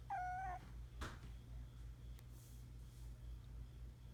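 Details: Norwegian Forest Cat kitten newly arrived at a house, giving one clear, steady, high meow of about half a second at the start, then quiet room hum with a few soft knocks.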